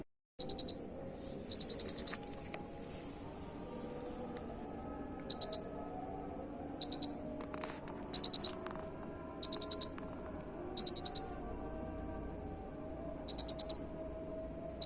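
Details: Cricket chirping, recorded as a training track of an unusual cricket sound: high, pulsed chirps of two to six beats at irregular intervals, somewhat quieter, with faint background murmur.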